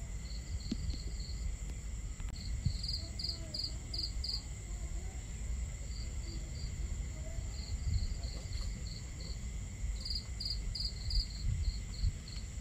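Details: Crickets calling at night near a crackling campfire and water: bright high chirps in irregular bursts separated by short pauses, a constant piercing trill above, and a heavy low rumble throughout.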